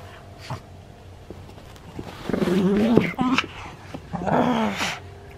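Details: Maria, a senior pug filmed in Japan on 31 October 2020, gives short, low, tonal grumbling cries with a rising-then-falling pitch, one burst after two seconds and another after four, over a steady indoor hum.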